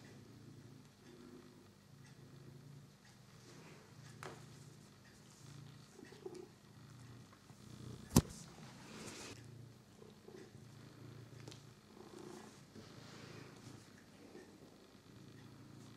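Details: Pet cat Figaro, busy with his new favourite toy mouse, purrs steadily: a deep, buzzing rumble that swells and fades in regular cycles about every second and a half, with one sharp click midway.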